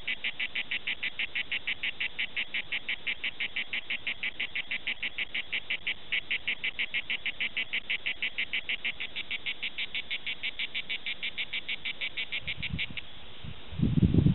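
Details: Cicada orni at Prades, southern France: rapid, even buzzy pulses at roughly three per second that stop abruptly near the end, followed by a brief burst of low rumbling noise.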